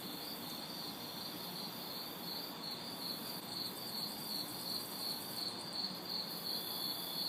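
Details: On a humid summer night in a city backyard, crickets and cicadas keep up a steady pulsing chirp, roughly two to three beats a second, layered over high insect hiss and soft distant traffic.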